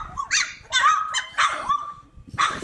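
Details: Playful Cane Corso puppies yipping: a handful of short, high, bright yelps with a sliding tone, spaced by brief pauses over under three seconds, ending in a noisier yap.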